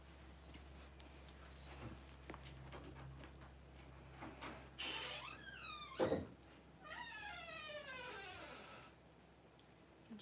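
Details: Newborn Cavalier King Charles Spaniel puppies during mother Paris's whelping of her first litter, indoors: two bursts of thin, high squeals sliding rapidly downward in quick repeated steps, over a low steady hum with scattered clicks.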